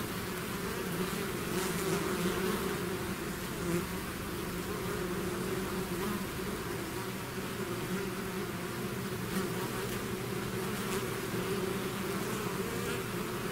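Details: Swarm of bees emerging from the hive: an even, unbroken buzz with layered humming tones and occasional closer fly-bys adding short bright whooshes.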